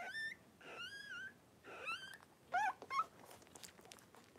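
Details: Three-week-old blenheim Cavalier King Charles Spaniel puppies at play in their pen, giving clear, high, wavering harmonic whimpers and whines in short separate bursts, with a couple of sharper squeaky yelps near the end.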